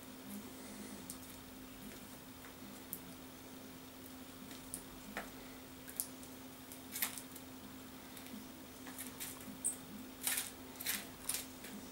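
Soft clicks, taps and rustling handling noises over a steady low hum, with no clear animal voice.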